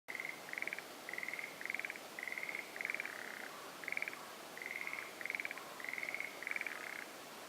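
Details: Forest green tree frogs (moria-ao-gaeru) calling at a marsh in the Aokigahara sea-of-trees forest: short stuttering rattled croaks with pulsed notes, given in quick bursts about every half second, several overlapping callers over a steady soft background hiss.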